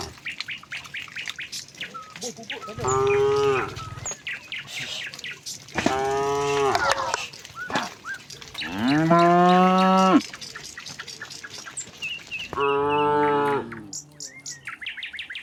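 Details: Dozens of tame cattle leaving their barn for a wide green pasture call back and forth: four drawn-out harmonic moos, each one to one and a half seconds, spaced a few seconds apart, with chirping birds in the background.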